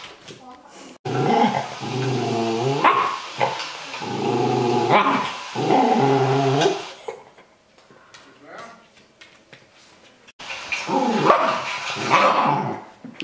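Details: Confused dog battling its own reflection on a laptop screen, letting out rumbling, harmonic growl-grumbles in long bursts, a pause with quieter rustling, then another growling burst near the end.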